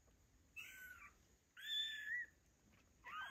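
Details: Two-week-old fluffy kittens, eyes newly open, give loud, high, thin meows after playing, three separate cries calling for their missing mother.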